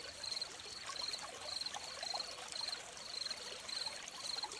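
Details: Crickets beside a trickling stream, their high, thin chirps repeating about every half second in short pulsed bursts, steady over the constant gurgle and splash of running water.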